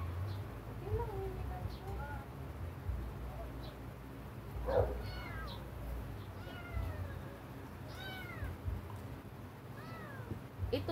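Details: A very sick kitten meowing indoors: a series of thin, high, wavering mews, some short and rising-falling, others drawn out and sliding, spaced irregularly over about eleven seconds, with low human speech and a steady low hum beneath.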